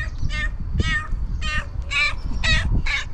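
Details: Tiramisu, a female cat, meowing at incredible speed: six short, bright, harmonic meows in quick succession, about two each second, over low rumbling background noise.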